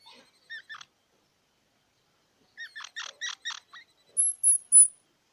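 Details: Squirrel making scattered squeaks, then a quick run of four or five harsh chirps, ending in a few very high, thin whistled squeaks in an otherwise silent space.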